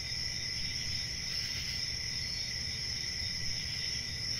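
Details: Steady cricket chirping forms an even, piercing high trill over a gentler lower tone, with a faint swell near the middle and a low rumble underneath.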